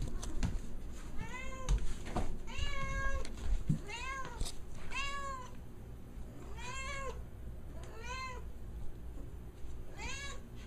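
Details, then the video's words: Domestic cat in a house in Malaysia, whining to be let outside; arched, harmonic-rich meows repeated about every second or so, with brief pauses and some knocks and handling noises early on. "Kucing Mengade Mengiau Nak Keluar Rumah"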